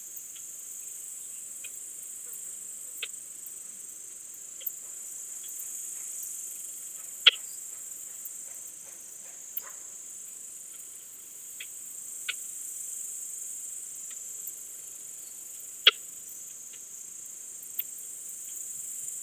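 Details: Balkan Speckled Bush-cricket at Vela Ucka, Croatia, on 10 July 2022, picked up with an ultrasound detector: brief, sharp, dry ticks at irregular intervals of roughly one to two seconds over a steady high hiss.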